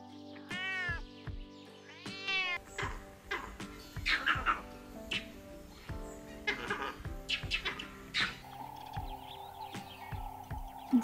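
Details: A cat meowing in several short, wavering meows early on, followed by other animal calls over steady background music.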